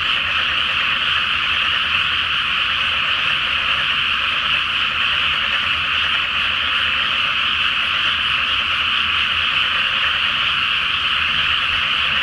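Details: Massed frog chorus from a flooded rice field at night before planting under a full moon in Japan: a steady, even roar of overlapping croaks without pause, with a low hum underneath.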